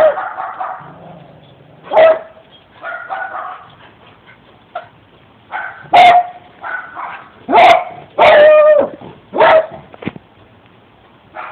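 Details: A pet dog howling and yelping in repeated short bursts, some tonal and sustained, others sharp barks, spaced irregularly over about twelve seconds.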